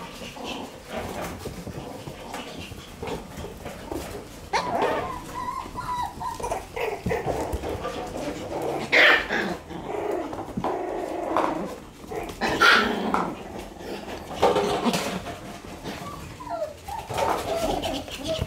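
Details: Young Shiba Inu pup, one month old, romping and producing squeaky little barks and whiny yelps at uneven intervals, over steady bumping, rustling play noises indoors.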